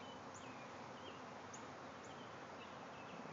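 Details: A backyard hive swarm of thousands of bees circling without clear direction, heard as an even, continuous droning buzz across a wide band, while small rising bird chirps flick in every half second or so.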